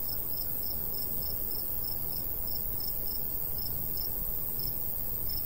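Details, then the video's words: Crickets in summer countryside by a golden wheat field, chirping in short high pulses about three times per second, steady and even throughout, over a low rumbling breeze. "Countryside/cricket sounds"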